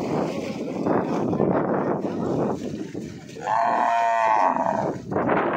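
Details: Buffalo lowing amid a noisy crowd: after several seconds of loud chatter, one sustained, harmonic moo-like call holds for about a second and a half before the voices swell again.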